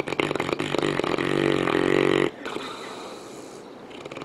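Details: Misha, a St. Bernard asleep on the couch, gives a loud, buzzy, vibrating snore lasting about two seconds, then drops to quieter breathing.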